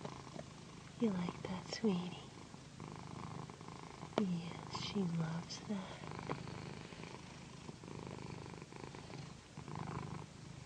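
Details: A house cat named Pandy purrs through a satin pillow massage, a low steady rumble underneath, while soft speech and whispering come and go over it.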